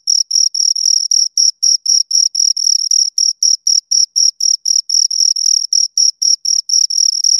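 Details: High, ringing cricket chirps from two insects come in quick, fairly even succession, about four pulses a second. Each pulse carries a thin higher overtone, against a quiet background.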